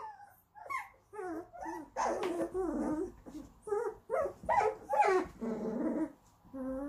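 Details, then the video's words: German Shorthaired Pointer puppies in a small room producing wavering, gurgling whines mixed with low grumbling growls, many overlapping cries in quick succession across seven seconds. "Deutsch Kurzhaar puppies"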